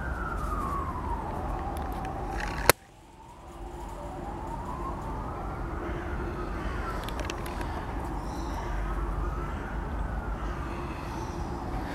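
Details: A wailing siren rises and falls slowly over steady low traffic rumble, broken by a sharp click; no animal is heard.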